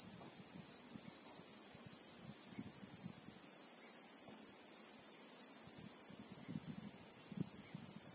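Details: Real-time bushveld sound from South Africa, named as the Christmas beetle (Anoplognathus): a constant shrill drone in two high bands, a brief brighter streak near the start, with light low rustles throughout.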